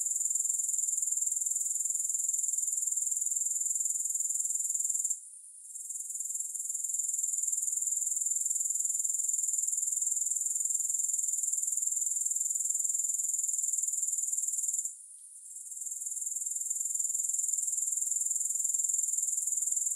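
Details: Steady high grasshopper trill with rapid pulsing, interrupted by two short dips where the sound fades then swells back, otherwise a constant insect shimmer.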